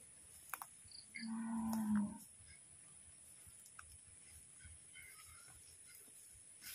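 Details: Goat during milking, giving one low, steady, nasal bleat of about a second near the start, followed by quiet with a faint constant high-pitched whine in the background.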